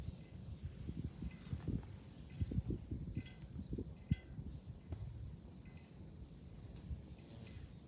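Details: Cicadas singing in July on a hilltop overlooking Fukuoka city, Japan: a dense, shrill, unbroken buzzing chorus that steps slightly higher in pitch about two and a half seconds in, over low rumbling gusts of wind and faint chime-like notes.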